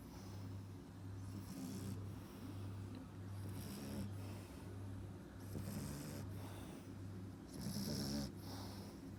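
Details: Snoring of a 4.5-month-old French Bulldog puppy: slow, uneven cycles of raspy inhaled snorts and softer exhales, roughly two seconds apart, hissing breath noise above a low rattle, a constant faint hum beneath.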